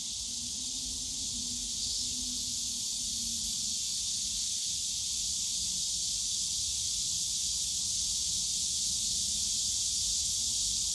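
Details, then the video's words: Summer cicada chorus in the bamboo forest of Yongsan Family Park, a continuous shrill, hissing drone filling the air, with a faint low murmur of park noise below. "용산가족공원 대나무숲 매미소리"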